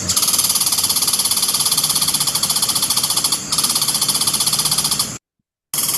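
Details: An American red squirrel in Pennsylvania, a species that often scolds people, gives a long, dry, rapid rattling chatter of fast pulses. It breaks briefly partway through, then resumes before stopping abruptly.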